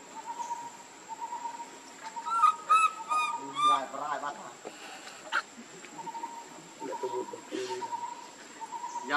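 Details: Baby monkey Lucie, hungry and begging for milk, gives a short run of harmonic, wavering coo-like cries midway, over a steady high insect-like whine and soft background noises.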